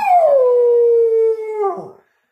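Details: Pet dog howling while singing along with its owner: one long sustained howl that slides down at the start, then holds a steady tone for over a second before breaking off.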